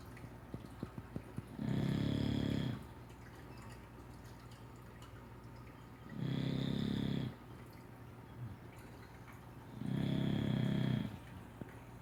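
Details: An English Bulldog, resting after a day of doing nothing, snores in slow, rumbling breaths about every four seconds.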